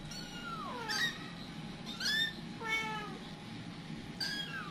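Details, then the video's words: Kittens scattered from their mother, who panics; four high, piercing kitten meows, each sliding downward in pitch with bright harmonics, roughly one per second, over a low steady hum. "ANAK ANAKNYA PADA NYEBAR.. KITTY AUTO PANIK !!!"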